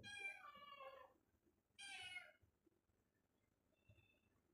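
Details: A pet cat meows twice: a long, drawn-out call that slides downward, then a shorter bright meow. A person speaks softly between the calls.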